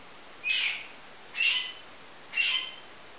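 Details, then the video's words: Three evenly spaced high chirping whistles from baby marmosets, each short and slightly buzzy, repeated about once a second against a soft hiss. "Marmoset babies"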